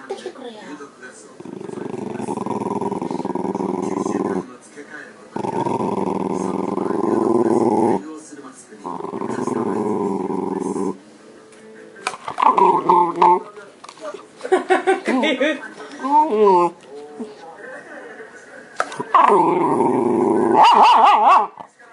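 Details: Shiba Inu drawn over by the smell of a yogurt cup that turns out to be empty, giving long drawn-out grumbling moans in three sustained bursts, followed by wavering, rising and falling vocal sounds indoors.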